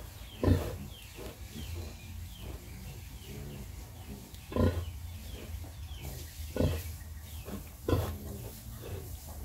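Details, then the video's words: Domestic sow nursing her piglets: short, low grunts spaced a second or two apart, with a few louder bursts standing out over steady low background rumble and faint farmyard noise. "Pig breastfed piglets"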